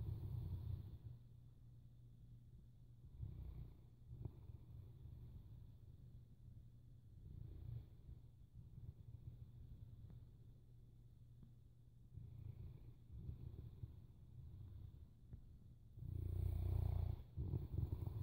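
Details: Boerboel asleep, breathing in a soft, deep rumble with faint snores every few seconds, ending in a loud, throaty snore.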